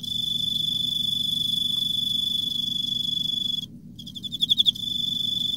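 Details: Emma field cricket in autumn: a steady, high, ringing trill holds for about three and a half seconds, breaks off briefly, then returns as a run of quick pulsed chirps before settling back into the trill.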